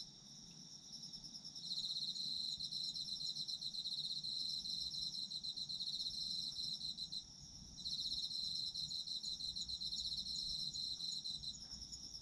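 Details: Autumn insects calling for sleep listening: dense, high, rapidly pulsed trilling with fainter chirping above it. The main trill breaks off briefly twice, then resumes steadily, over a soft low background hum.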